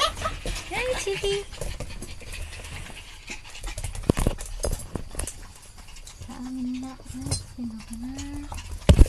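A Chihuahua gives short tonal whines, then a drawn-out, wavering growling whine, with voices nearby.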